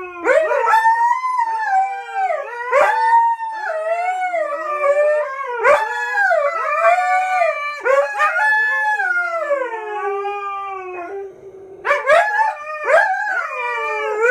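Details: Dogs Coda and Diesel howl in chorus, each howl starting with a sharp rising yip then gliding down, repeated roughly every two to three seconds, with one long descending howl before a fresh burst.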